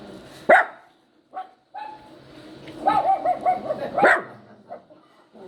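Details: Poodle puppy yowling and crying. Two sharp yelps come first, then a short quavering whine that rises and falls, and a final sharp yip, with brief silences between them.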